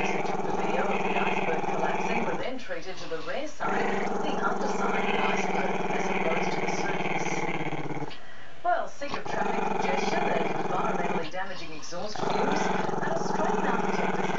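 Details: Growling at the camera out of camera shyness, Maltese-Shih Tzu puppy Chester produces a drawn-out rumbling growl. It is interrupted by three short breath gaps, near three, eight and a half, and eleven and a half seconds.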